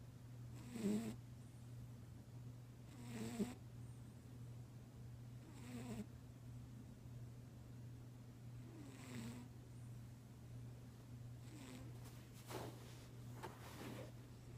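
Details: A sleeping pet cat snores; soft breathy snores repeat roughly every two to three seconds, some with a faint rough rattle, over a constant low electrical hum.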